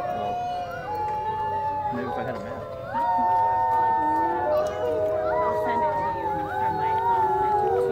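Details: A zoo wolf pack at Woodland Park Zoo howls together in long, overlapping, gently sliding tones that rise and fall.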